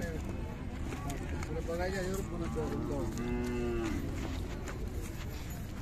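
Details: Khillar cattle at the Sangola cow and bullock market on 12 May 2024: a drawn-out, steady low moo rises over the crowd, with people talking loudly around it and general market bustle.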